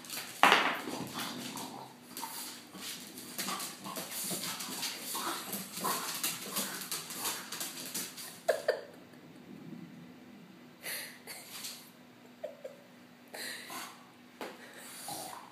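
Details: French bulldog Ziggy spinning in joy: a long run of quick, raspy snorts and grunts, then spaced bursts of huffing with quieter gaps inside a small room.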